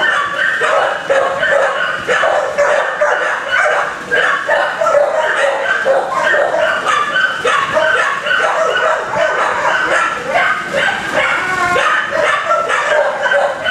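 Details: Continuous barking from many kennelled dogs, harsh overlapping barks and higher yips filling the whole stretch with no quiet gaps.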